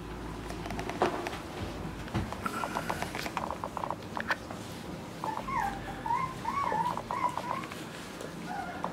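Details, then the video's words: West Highland White Terrier puppies, five weeks old, playing indoors with a nine-week-old puppy; scattered short yelps and scuffling give way to a drawn-out, wavering whine that rises and falls over several seconds, with soft thumps of play around it. "Cecilia's Westie puppies at 5 weeks playing with 9 week old puppy"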